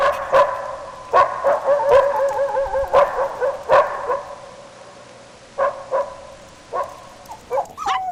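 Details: Puppies at play on green grass, competing for toys; sharp barks mixed with wavering whines in the first four seconds, a short pause, then more scattered yaps and a rising whimper at the end.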